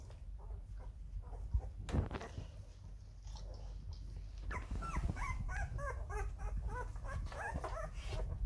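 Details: Rhodesian Ridgeback puppies, eleven days old, taking their first wobbly steps; high squeaky whimpers and squeals, many rapid overlapping cries in the second half, with low rumbling handling noise underneath.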